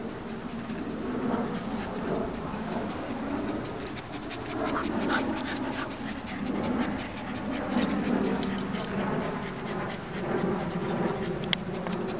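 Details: Shih Tzu named Chewie, a found dog whose real name is Fluffy, panting in quick breathy bursts repeated steadily through the clip over a low continuous hum, with faint murmuring in the background.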